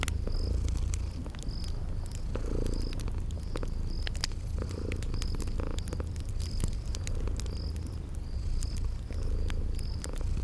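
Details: Relaxed purring of sleeping kitties, a low humming rumble with gentle pulses, overlaid by crackling fire clicks and evenly spaced high cricket chirps.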